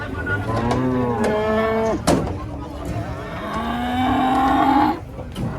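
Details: Cattle arriving by truck in Indonesia; two drawn-out, strongly harmonic moos, the first sliding downward and the second rising at its end, with people talking and a sharp knock between them.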